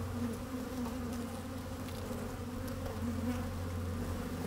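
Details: Honey bees working in an opened hive, recorded with a microphone lowered among them on a sunny day; a dense, even, deep drone with a strong low rumble underneath and faint shifting tones above.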